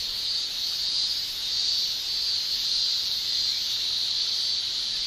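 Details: Summer in Japan, with male cicadas singing by buckling their tymbals. The sound is a continuous high-pitched shrilling hiss that rises and falls gently and irregularly in strength.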